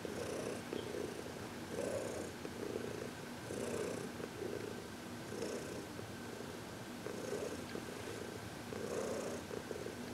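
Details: Heidi, a happy 14-year-old senior cat adopted from the Humane Society of New York City, purring during massage and reiki on February 22, 2021; soft rasping purr bursts roughly every two seconds over a steady hum.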